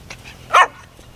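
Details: A dog gives a single sharp, high bark during a recall training exercise, with a trainer telling it not to do this and to wait; faint voices and quiet background before and after.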